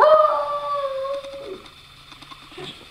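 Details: Pet dog, female, begging for her ball with a howl; the drawn-out tonal cry is already sounding, gradually falling in pitch and fading out after about a second and a half, followed by quiet room noise.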